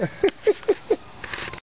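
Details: Cricket caught indoors, giving four short chirps about a quarter second apart over the first second, each a brief mid-pitched pulse, followed by fainter rustling and a soft constant high hiss.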